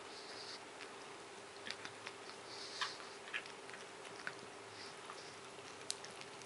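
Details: Moshi, a male Japanese Chin almost seven years old, chews and licks a bone straight after a bath, ignoring everything else. Soft crunchy clicks and wet smacks come at irregular intervals over a faint steady indoor hum.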